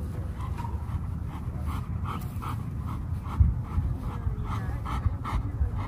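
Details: Pet dogs looking for their mom pant rapidly and steadily, short breathy puffs repeating about twice a second over a constant low rumble indoors.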